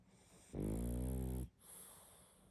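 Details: Sleeping pug giving one loud, rough snore lasting about a second, followed by a softer exhale.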